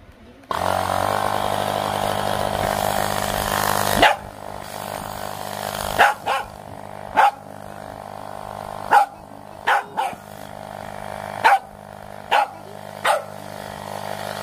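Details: A Pembroke Welsh Corgi puppy reacts to a portable air pump compressor, giving sharp single barks at irregular intervals after the pump's steady hum stops.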